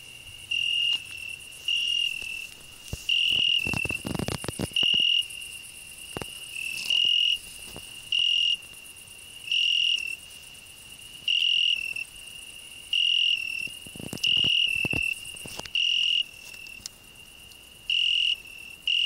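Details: Cricket singing on a rose bush where a grasshopper also sings: steady high, pure trilling tone swelling into louder bursts about every second or so, broken by sharp clicks and rustling from close handling.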